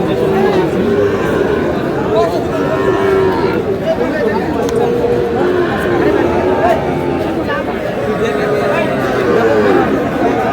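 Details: Sahiwal bull calves at the opening of a cattle market in Aftabganj, Dinajpur, on 30 June: long, drawn-out lowing moos with steady harmonic tones, heard through constant crowd chatter and bargaining voices of buyers and sellers.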